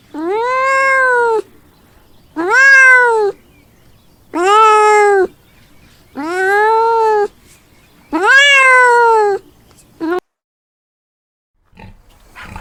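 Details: Five loud, regular meows from a house cat, each about a second long and rising then dipping at the end, followed by silence and a brief faint noise; from a learning compilation of farm animal sounds for kids.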